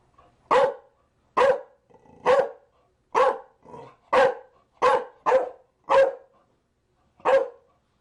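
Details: A Chow Chow barks repeatedly, ten clipped, harsh barks in eight seconds, some in quick pairs, others spaced nearly a second apart, against a silent background.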